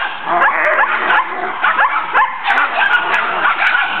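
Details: A backyard romp of collie puppies with the adults Tesla, Braedyn and Tennyson, who is the family talker, with the puppies joining in. Dense, overlapping yips and short barks pour out without a break, some sliding upward into whiny tones.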